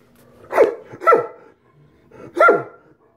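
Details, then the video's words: Great Danes, two male pet dogs, roughhousing together indoors: three loud, gruff barks, the first two close together, then a pause before a third, each bark a harsh burst with a falling tail, and near-silence between them. "Lazy Dane Rough House"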